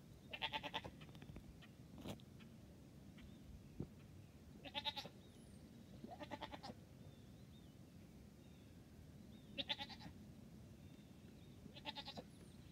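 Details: Two-day-old triplet goat kids wearing pajamas, hopping together under their mother's watch; short, shaky high bleats come in clusters about every four to five seconds, with light knocks and shuffling between them.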